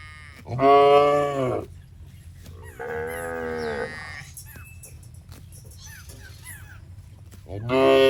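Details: Tame, healthy cattle wandering in a rice paddy while grazing: a loud drawn-out moo, a softer, lower moo about two seconds later, then another strong moo at the end, with faint high chirps and quiet music in the gaps.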